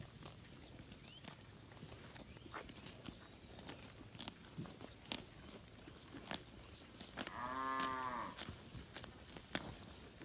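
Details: Village cattle wandering and feeding on grass in a broad green rice field; one rounded, harmonic moo of about a second stands out from frequent clicks, taps and rustles.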